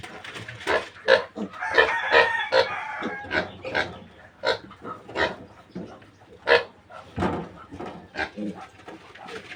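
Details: Newly weaned piglets of a young sow give rapid, harsh grunts in uneven bursts. A brief higher tonal call rises early on, and grunting continues steadily to the end.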